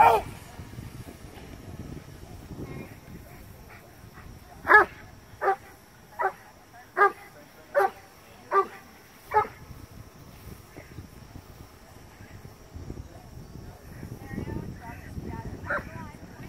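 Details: Cane Corso Carmine D'Oro of Legendary cane corso kennel during a PSA PDC protection trial: a series of about seven loud, deep, evenly spaced barks roughly every three-quarters of a second mid-clip, with quieter voices and outdoor noise around them.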